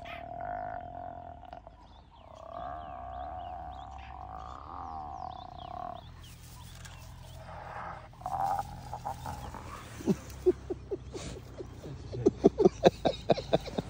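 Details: A hyena, submissive to a larger female, gives wavering, tonal whines, then breaks into rapid, pulsed giggling as a submissive call.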